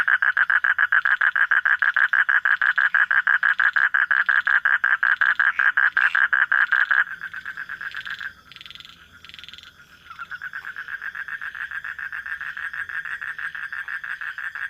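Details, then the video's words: Night-calling frog producing rapid, rattling croaks repeated nearly twice a second, loud at first, briefly softer and broken midway, then resuming more quietly. "hunting for frog sounds at night"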